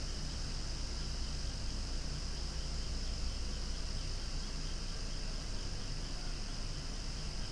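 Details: Cicadas calling loudly among swaying flowers, a steady shrill buzz holding high with a faint pulsing beat, over a constant low rumble of wind or distant traffic.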